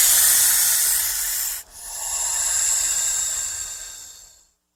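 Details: Snake hissing when threatened or frightened: a steady, breathy hiss concentrated in the high range, broken by a short pause after about one and a half seconds, then a second long hiss that fades out.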